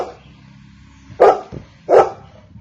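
A Golden Retriever gives two deep, loud barks a little under a second apart.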